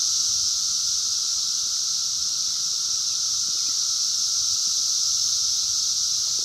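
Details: Wild 17-year Brood X periodical cicadas during the 2021 emergence, recorded on a phone: a dense, unbroken high shrill drone holding steady throughout, with a fainter constant hum lower down.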